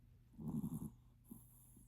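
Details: Sleeping Maltipoo snoring: one short, rough, pulsing snort of low rattling breath lasting about half a second, followed by faint soft breathing.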